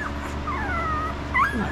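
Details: Newborn puppy, five days old, gives a long thin whine that slides gently downward, followed by a brief high squeak, over a faint constant hum as the litter is checked.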